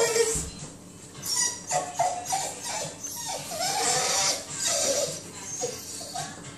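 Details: A pet dog whining to be let back inside, with high, thin, wavering whines repeated in short bursts against a faint background hum.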